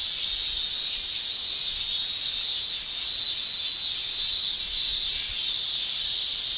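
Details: Summer chorus of male Japanese cicadas in Japan: a high shrill buzz pulsing in swells roughly every second, louder bursts rising over a constant background drone.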